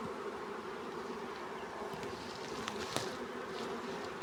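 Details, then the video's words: Honey bees swarming while being caught; a constant, thick humming drone with faint clicks and taps scattered over it. "honey bees swarm catch easily"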